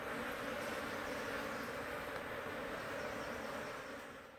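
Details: Massed humming of a wild honey bee swarm in a large tree hole, Timang jungle, Manang district, Nepal, while a bee catcher scoops the bees into a hive; even, continuous low drone fading at the very end.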